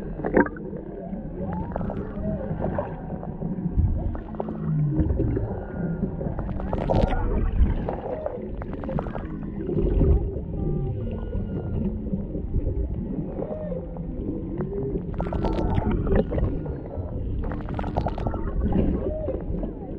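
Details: Humpback whales off Maui, Hawaii, a mother and calf near a boat with a male nearby, singing underwater, taken with a GoPro Hero 7 Black: low moaning, sliding tones with gurgling water and scattered clicks throughout.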